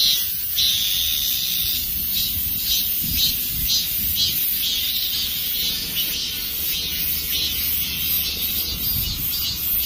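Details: Dozens of cicadas sitting in a tree give a last performance before summer ends, a loud high buzzing chorus beaten into rapid pulsing strokes, steady for ten seconds.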